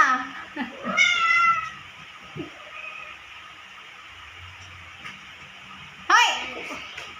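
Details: A naughty cat meowing: a harmonic, falling meow near the start, a brief faint call in the middle, then another sudden meow at the end over a low background hum.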